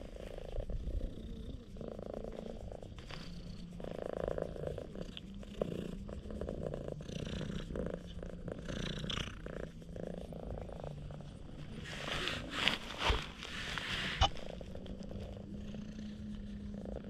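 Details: Loud purring from an affectionate stray cat that rolls over while making funny faces, recorded with a GoPro HERO8; steady low rumbling purr in rhythmic breaths, with rustling and a few sharp knocks near the end.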